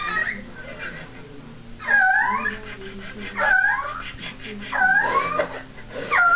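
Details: Dog fussing during a training session, letting out about four drawn-out, high whining cries that rise and fall in pitch, with people talking softly in the background.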